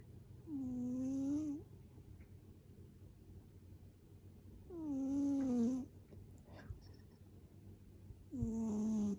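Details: Heavy snoring from an overweight 7.6 kg rescued male cat, a former boss cat, indoors: three long rasping snores, each about a second, with a low droning tone and breathy hiss, spaced roughly every four seconds.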